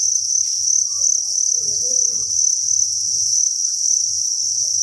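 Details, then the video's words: Thousands of farmed crickets in a breeding facility create an unbroken high, ringing chirping chorus; soft clicks and rustles and a low hum sit underneath. "Cricket Chirping Sound"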